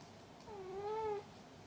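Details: Male domestic cat calling after catching a toy, apparently proud, before rolling onto his back: one long, smooth meow that dips slightly, then rises and holds before fading, over a faint steady background hum.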